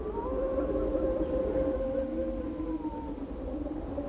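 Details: An Arctic wolf pack howls in chorus, long steady overlapping tones at different pitches. Their howling is a territorial call that signals pack size and strength, and a social signal that keeps members in contact.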